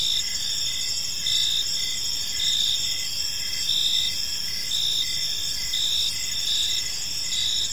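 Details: Evening cricket chorus in a peaceful park, with layered high-pitched chirps pulsing continuously and rhythmic bright beats recurring about once a second against a soft, even noise floor.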